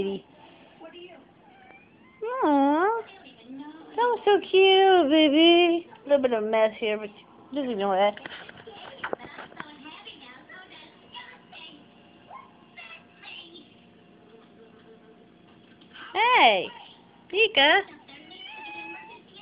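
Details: Domestic cat meowing indoors, a series of bent, wavering meows with rising and falling pitch, several in quick bursts, then a pause and two more loud meows near the end; a person speaks affectionately before and after.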